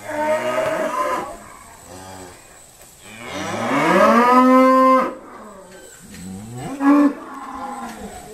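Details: Mooing Irish Dexter cows at Stone Meadow Farm during sorting: a first moo, then a long rising bellow peaking near four seconds and ending abruptly, followed by softer calls and a sharp bang.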